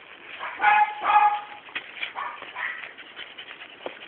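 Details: Akari, a Sealyham Terrier, gives a short burst of voiced, tonal yelps and whines in the first second and a half, followed by quieter scuffling and faint voices in the background.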